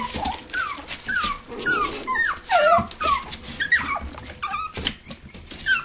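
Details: Whimpers from toy poodles and Pomapoos at play in an indoor living room play area on 11/9/07: a string of thin, descending whines about once a second, mixed with soft growls, and music faintly behind.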